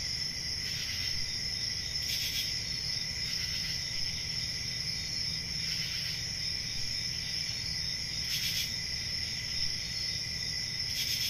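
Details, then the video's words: Many crickets on a summer night in the countryside forest keep up a continuous shrill, pulsing trill in two bright pitch layers, broken by brief louder rasping bursts at irregular intervals, over faint low background noise. "10 Hours Relaxing Cricket Sounds For Sleep"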